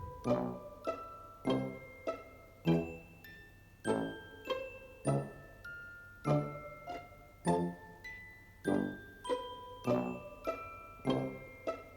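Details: Gentle mallet percussion in a glockenspiel or marimba style, with evenly spaced struck notes about once a second and no animal sound.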